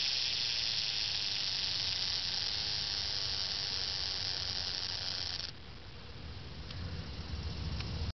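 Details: A close-up summer cicada in Franconia, Pennsylvania, hiding from view, gives a loud, steady, hissing buzz that drops in volume partway through.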